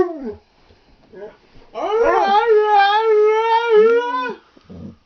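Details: Twelve-week-old Alaskan Husky pup, female, howling with adult dogs, tired: a sustained wavering howl of about two and a half seconds, preceded by short falling yips and a voice speaking softly.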